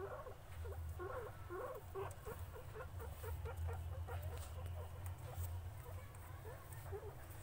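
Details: Guinea pig busily eating, producing quick clusters of soft crunching chews that slow and thin toward the end, set against a continuous low-pitched hum.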